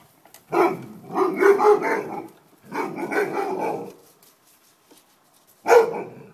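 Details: An Alaskan Malamute reacting to a lawn mower gives drawn-out, wavering yowls followed by a single sharp bark.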